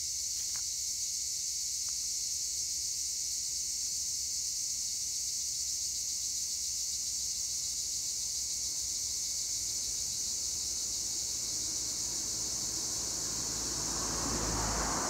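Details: Acheta assimilis tree crickets calling in olive trees at Güre, Edremit, Turkey, a continuous piercing high-pitched buzz from many insects, a few short clicks early on, and a rushing broadband noise swelling at the end.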